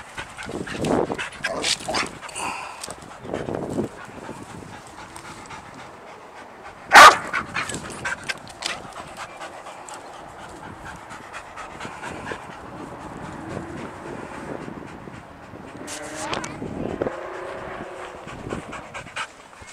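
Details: Sadie, a pet dog, excited and jumpy over an unseen squirrel: steady breathy panting and soft whimpers throughout, with one sharp loud bark near the middle.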